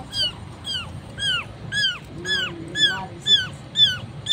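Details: A tiny kitten separated from its mother gives thin, high, piercing calls, each sliding downward in pitch, repeated steadily about twice a second, with a faint low hum in the background.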